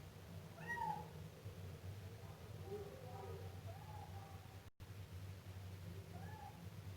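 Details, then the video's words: Young Siamese cat giving a sharp meow early on, followed by softer, wavering meows and a final short cry. Continuous low droning background with a brief dropout near the middle. "Efeito sonoro de gato miando filhote siamês"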